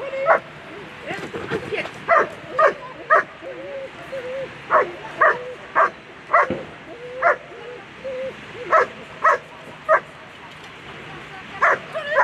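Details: German Shepherd barking during a world championship agility run: short, punchy barks repeated roughly twice a second, irregular in spacing, with an announcer's voice talking over the arena background.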